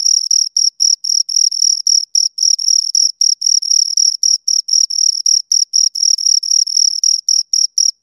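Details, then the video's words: Close recording of two crickets giving sharp, high chirps repeated about four times per second, a relentless regular pulse with a faint higher ringing overtone and a quiet background. "Two Crickets Chirp Sounds for Two Hours Right on Your Ears"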